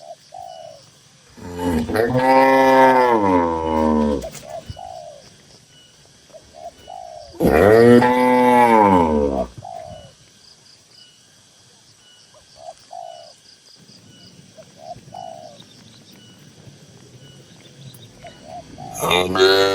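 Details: Many tame cattle kept in a livestock barn; two loud, long, wavering moos about five seconds apart, each lasting over two seconds, then a quieter stretch with a low rumble and soft calls, possibly birds, before another moo begins at the end.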